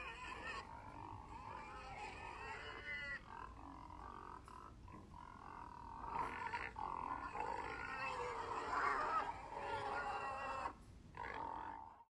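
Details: Pigs vocalising in continuous, strained harmonic squeals that waver and swell in loudness, with several voices overlapping and a short pause near the end.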